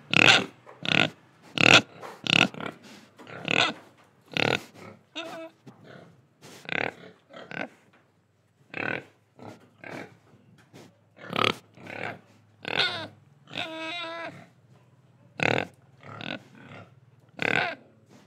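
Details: Pigs in Indonesia, oinking, breathing and eating: a run of short, harsh grunts roughly every second, with a few higher, tonal squeals mixed in and brief quiet gaps between bursts.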